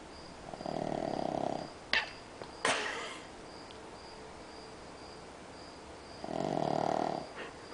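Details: Sleeping Pug, passed out after watching a movie, gives two buzzy drawn-out snores roughly five seconds apart, with a couple of sharp knocks between them and a constant faint electronic whine.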